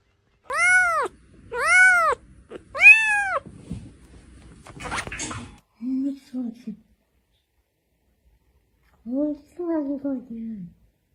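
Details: Domestic cat out in the snow giving three loud, clear arched meows about a second apart, then after a scuffling pause two softer, lower, drawn-out mews; little else heard.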